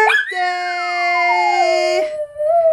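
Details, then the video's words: Schnauzer singing along while people sing Happy Birthday; a long sliding howl falls steadily in pitch beneath the people's held notes, then cuts off as the singing breaks. "the Singing Schnauzer"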